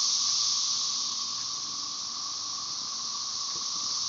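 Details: Magicicada tredecassini chorus, M. tredecim behind, Brood XIX at Tyler Bend Park near Marshall, Arkansas, on May 30, 2011: an unbroken high hissing drone, slightly louder at the start, then settling into an even buzz.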